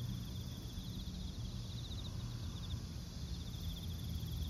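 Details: A large autumn chorus of crickets chirps in a steady high, pulsing rhythm over a low background rumble.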